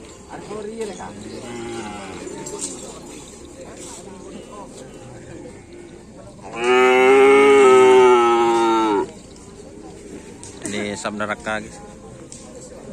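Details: Cattle at karapan sapi bull race training on the field at Aseamanis; one loud, steady, even-pitched moo lasting about two seconds rises out of background voices and music, with quieter chatter before and after.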